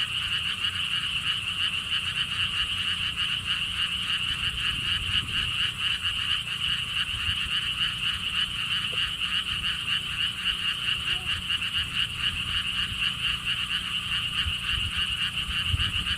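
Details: Massed frog chorus at the lotus pond theme park in Siheung, Korea, beside a stone wall path: continuous overlapping pulsed notes repeating rapidly, bright and even in loudness for the whole stretch, faint low rumble underneath.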